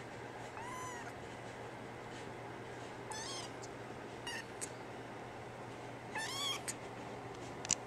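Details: NANA, a female brown tabby-and-white cat, gives three high, drawn-out meows spaced a few seconds apart, with faint clicks and tapping between them and a constant low background hum.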